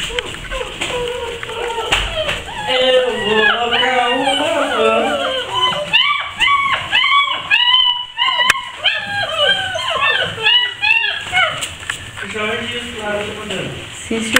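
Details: Basset Hound puppies at a kennel in Brazil whimpering together: many overlapping high, wavering whines and rising-falling squeals in a dense chorus, with short breaks and some faint background sounds.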